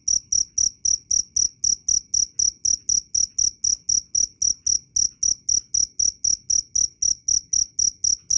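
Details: Cricket (jangkrik) chirping loud and clear, used as a training model for songbirds: rapid pulsed high-pitched chirps repeated about four times a second in a steady rhythm, with no other sounds.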